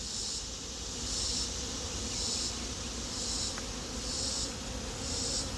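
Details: Western honey bee swarm, rehomed on 7/15/25, settling into its new hive and busy while fed a mushroom-tea sugar syrup; steady dense buzzing of many bees with a broad low hum and a soft high hiss that swells every second or so.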